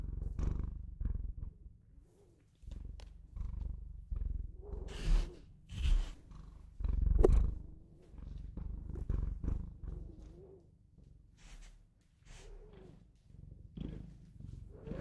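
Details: Domestic Bengal cat purring in a deep, fluttering rumble that rises and falls in breathy waves, with brief quieter pauses and faint higher tonal sounds over the top.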